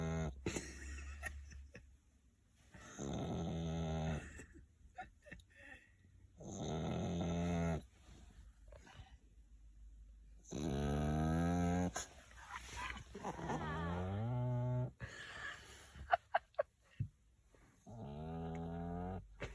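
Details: French Bulldog snoring: long, rasping, harmonic-rich snores repeating every three to four seconds, with quiet pauses between breaths.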